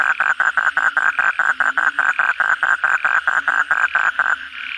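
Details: Asian common toad (kodok bangkong) calling close by at night after heavy rain, with many others: loud, regular croaks about three per second for over four seconds, then stopping, leaving the distant chorus.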